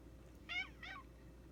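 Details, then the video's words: Tiny domestic cat crying for attention: two short, harmonic meows in quick succession, the first bright and slightly rising then falling, the second shorter and sliding downward, over a low steady background hum. "weird cat noises"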